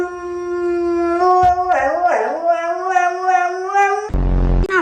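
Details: A talkative pet dog vocalizing at home: a long, tonal, howl-like moan that bends up and down in pitch, wavering through several drawn-out syllables, then breaks off into a brief harsh burst.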